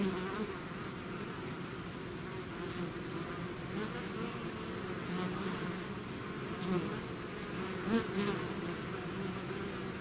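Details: Swarm of bees out of their hive, a droning layered buzz that swells slightly near the end as a few bees pass close by.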